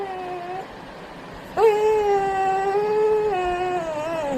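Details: Labrador named Pattu giving 'baby talk' whimpers: a short steady tonal whine, a brief pause, then a long sustained nasal whine that wavers slightly and slides downward at the end.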